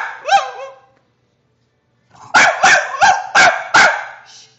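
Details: Deaf bulldog producing strange screeching sounds: a short rising squeal, a second of silence, then five rapid rough barks in quick succession.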